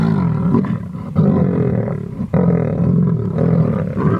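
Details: Lions of the large Munghene pride, lionesses and three Magingalane males, growl and snarl in deep, rumbling bursts as they squabble over feeding on a young rhino bull they brought down in the bush.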